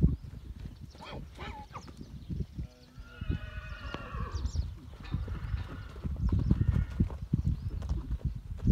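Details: Pura Raza Española horses, stallions and mares in a herd, fighting as a new young stallion joins. Tense harmonic squealing neighs rise and waver, one burst then another longer one, over heavy low hoof thuds and scuffling.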